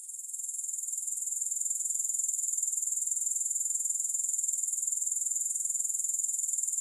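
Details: High, buzzy grasshopper trill of quick, regular pulses, fading in gently and building to a steady, unbroken drone; no music or voices.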